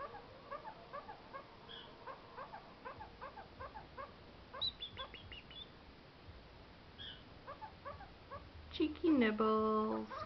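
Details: Household pet kakariki begging for snacks with its little noises: rapid soft chirps and a few high sharp notes, closing with a loud, nasal, drawn-out squawk.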